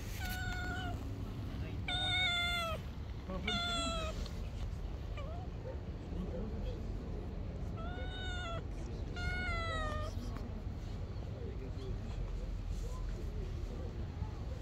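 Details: Two kittens climbing on a lap and playing, giving repeated high, wavering meows in bursts of two or three, with a steady background hiss throughout.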